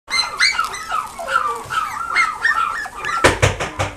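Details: Chihuahua and Dachshund cross puppies in a pet shop in Nagoya, heard in a rapid run of high, whiny yelps and short barks with rising and falling tones, ending in a burst of clattering noise.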